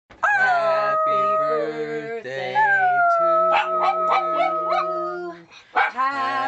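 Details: Miniature Dachshund howling along as a person sings Happy Birthday; long wavering high howls glide above the steady low notes of the human singing voice, with a brief pause before a final howl.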